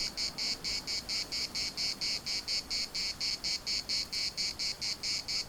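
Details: Shrill pulsing buzz of cicadas in a municipal park at Larnaca, each burst following the last about twice per second in an even, unbroken rhythm.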